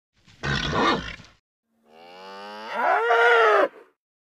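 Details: Nervous bull calling: a short rough, noisy grunt-like blast, then after a pause a long harmonic bellow that swells and rises in pitch before cutting off, loud and clear with no other sounds.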